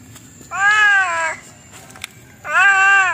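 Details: Cat giving two drawn-out, nasal meows about two seconds apart, each steady then dipping slightly at the end, over a quiet background with a faint high electronic whine.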